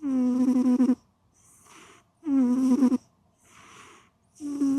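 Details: Domestic cat snoring while asleep: about a second of loud, tonal, nasal snore alternates with a softer breathy exhale. The cycle repeats roughly every two seconds, with no other sounds.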